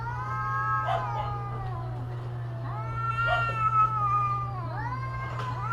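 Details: Long, moaning yowls from cats in mating season. The tone stretches out, dips, then climbs again into a sustained, slightly quavering howl, with short breaks between phrases. A steady low hum sounds in the background.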